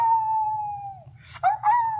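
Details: Small pet dog named Kiri howling indoors while being encouraged, a long steady tone held for about a second, then dipping, followed by two sharper rising, wavering howl notes; faint low hum underneath.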